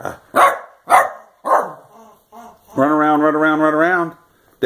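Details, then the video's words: Dachshund named Daisy playing indoors, near a toy, while being urged to run around: four sharp barks in quick succession, then a long wavering howl-like vocal lasting over a second, with a woman's voice nearby. "Dachshund love yous' are the best"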